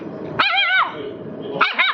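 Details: A dog, either a Rottweiler or a Siberian Husky, gives a drawn-out, wavering, high-pitched bark-yowl lasting about half a second. A second, shorter, rising yelp follows a second later, over a low background rumble.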